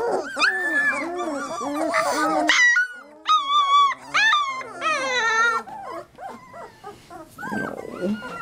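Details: Three-week-old Labrador Retriever puppies whining and squealing, with drawn-out wavering cries, a few sharp yelps and squeaky rising notes, mixed with brief human voices and some rustling.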